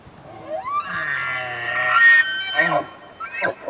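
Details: Large bull elk in early rutting season in Canada's Rockies: a bugle climbs steeply into a high, harmonic-rich whistle over a low growling undertone, then breaks into falling, jerky chuckle notes near the end.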